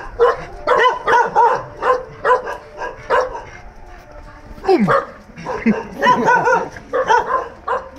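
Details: Free-roaming dogs bark in repeated bursts, several yaps close together with pauses between, one rising whine near the middle; voices faintly in the background.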